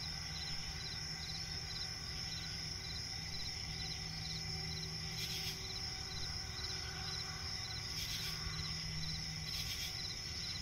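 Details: Crickets chirping at night in a swamp forest: a steady high-pitched continuous trill with faint pulsed chirps beneath, plus brief rising bursts of higher noise every few seconds and a low rumbling background.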